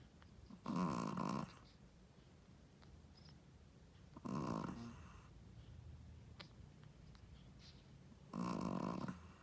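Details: A first-time Shih Tzu mother snores in her sleep indoors, three loud grating snores spaced about four seconds apart with quiet breathing in between.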